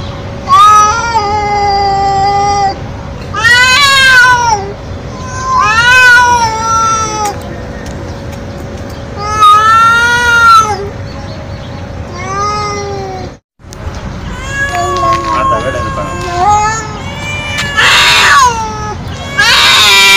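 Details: Stray feral cat calling nonstop, loud, very loud harmonic meows roughly every two to three seconds, some rising then dropping, a brief silence midway and a harsher, noisier call near the end.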